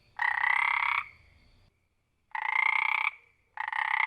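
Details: Frogs calling in their wild habitat: three loud, rasping, pulsed croaks, each lasting under a second, separated by short pauses, with the last one cut off. No other clear sounds.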